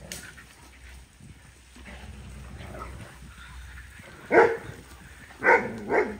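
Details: Large dogs outdoors on a hot summer day, getting baths and brushing during an outdoor spa day; after quiet, low-humming background, one loud sharp bark rings out, then two more short barks follow in quick succession near the end.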